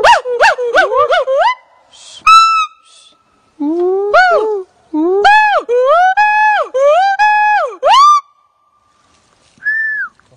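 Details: A siamang, seemingly happy as it is about to be released into its native habitat, gives loud, clear whooping hoots that swoop up and down in quick runs.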